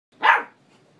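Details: A male pet dog barking at himself during a long indoor barking spell; one sharp, loud bark, then quiet.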